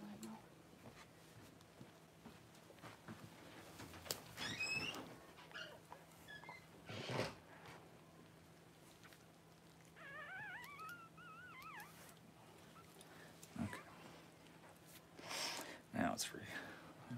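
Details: Newborn Cavalier King Charles Spaniel puppy squealing as mother Paris whelps her first litter indoors; a thin, wavering, high-pitched cry repeated over about two seconds, amid low human voices, rustling and a steady electrical hum.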